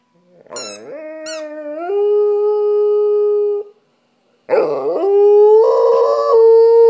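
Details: Stella, a pet dog, howls along with her squeaky toy: two long, steady, fairly low howls, the first swooping up before holding level for about two seconds, the second starting with a wavering rise and ending on a sustained tone.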